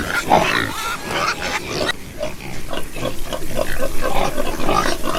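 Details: Pigs grunting in a rapid, uneven series of low, rough pulses, about four per second, with a few higher squealing notes near the start.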